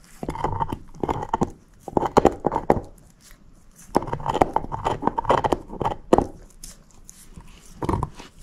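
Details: Moose, a female shepherd mix dog, gnawing on a bone: clustered crunchy clicks and scraping bites in short rapid runs, pausing briefly between bouts, in a quiet small room without talking.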